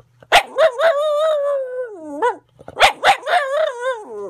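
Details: On increased medication, the pet dog Roo mixes barks into her weird singing: each phrase opens with sharp, barky onsets that melt into a wavering, gradually falling howl, repeated twice with a brief gap between.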